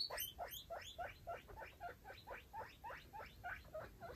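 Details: Baby foster guinea pigs with their mother exploring a freshly cleaned cage; rapid rising squeaky calls repeated about three to four times per second, each sweeping upward, steady throughout.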